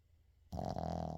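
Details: Sleeping Shih Tzu named Uijung snoring indoors, recorded without editing; a single loud, harsh, rumbling snore begins halfway through and continues to the end.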